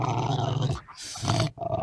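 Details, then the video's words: A Rottweiler gives an intimidating guard-dog growl, deep and rumbling, broken by a brief pause and harsher breathy bursts. "Écoutons le grognement du Rottweiler."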